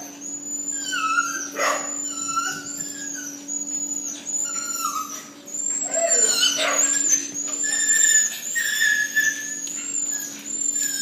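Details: A Phu Quoc Ridgeback being mated for the first time gives high, wavering whines and sharp yelps over a steady electrical hum.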